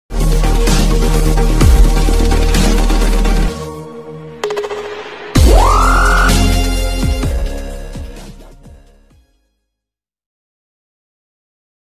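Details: Electronic dance music with heavy bass and a rising synth sweep plays, then fades out to silence after about nine seconds.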